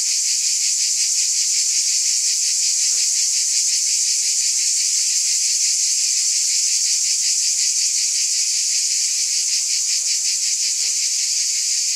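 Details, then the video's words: High, sizzling cicada drone, constant in loudness, with a rapid rhythmic throbbing running through it and a few faint squeaks in the background. "Scintillating Cicadas"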